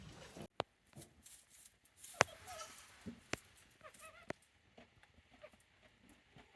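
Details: Day-old goat kids, the offspring of the nanny Hikari, at the handmade Yoshigake goat farm in Japan, 17 April 2024: a couple of soft, wavering mid-pitched bleats rise and fall among sharp clicks, knocks and rustling.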